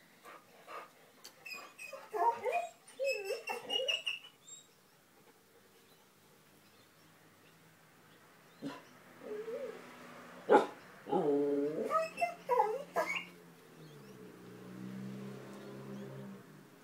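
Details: Puppies Shanti and Achilles chattering at something unseen: wavering whines and yelps in clusters, a long pause, then more yips and a low drawn-out moan near the end, indoors.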